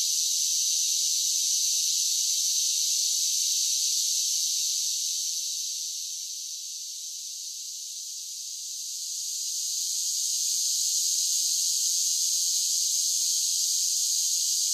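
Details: A steady shrill drone of summer cicadas softens in the middle, dipping for a few seconds, then swells back to full strength; no other sounds.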